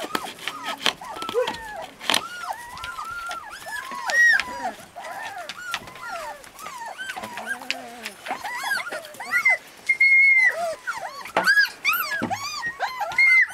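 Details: Husky puppies in Lapland give a busy chorus of short arched whines and squeals, many overlapping pups, with a few longer high whistled squeaks and some brief clattering noises.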